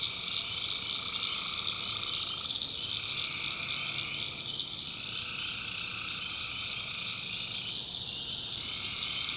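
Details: Dense nocturnal chorus of tree frogs in a backwoods swamp of North Carolina, with buzzy calls overlapping almost continuously, rising and falling as callers alternate, layered on an unbroken high-pitched drone.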